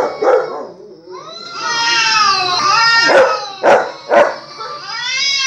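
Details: Dog reacting to hearing recorded barking, giving drawn-out harmonic whines that rise and fall, then three sharp, loud yelp-like bursts about half a second apart near the end.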